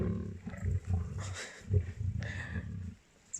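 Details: At MalaMala, South Africa, a pride of lionesses feeding on a buffalo kill growl and snarl in deep, rumbling bursts.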